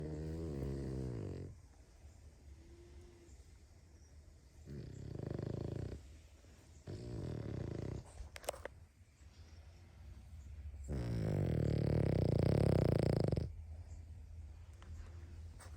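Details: Sleeping dog snoring very loudly indoors, long rough rumbling breaths lasting one to three seconds, with quieter breathing between them and the loudest snore near the end.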